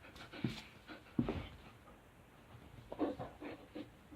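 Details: Young dog Riley, a disobedient pup being told to sit, stay and back up while mouthing a thumb, panting in short breathy bursts, a few uneven puffs spread over four seconds with quiet gaps between.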